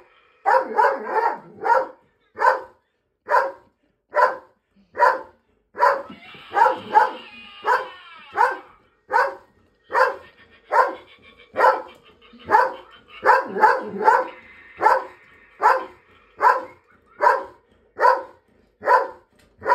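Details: Female dog, frightened by a family's scarecrow Halloween decoration, barks at it steadily. Single loud barks repeat roughly every second, with a faint higher whine running beneath some of them.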